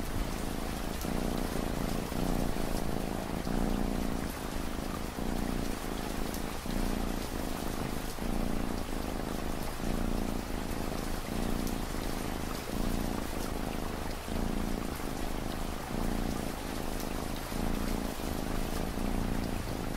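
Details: Domestic cat purring in a steady low rumble, pulsing in regular cycles under a constant wash of falling rain, part of a long relaxing ambient mix meant for studying at night.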